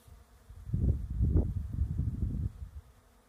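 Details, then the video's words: Bees in a lavender field, a quiet start followed by a low, throbbing buzz that rises and wavers for about two seconds, then fades back to soft background noise. "SOUNDS of bees"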